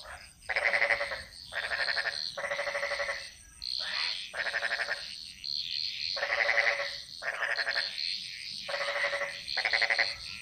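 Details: Frogs calling in a chorus in the jungles of Bali, Indonesia: loud pulsed, rattling croaks lasting about a second each, repeated with short gaps, with softer overlapping callers and a steady high insect-like hiss behind.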